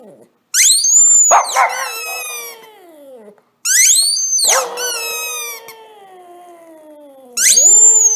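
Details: A female Shih Tzu gives drawn-out, wavering howls that slide downward, howling in response to high squeaky-toy squeals.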